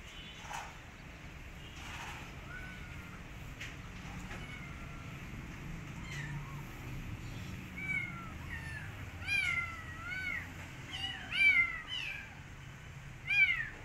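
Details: Kitten rescued from the street, restless to get back outside and refusing its food, meowing again and again; the cries start soft and grow louder and more frequent, coming about every second toward the end over low background noise.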